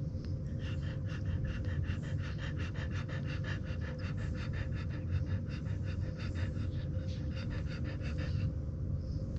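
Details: French Bulldog puppies only 24 hours old feeding on milk beside a sleeping mother. A quick, even train of wet suckling pulses runs for about eight seconds and then breaks off, with a deep background hum throughout.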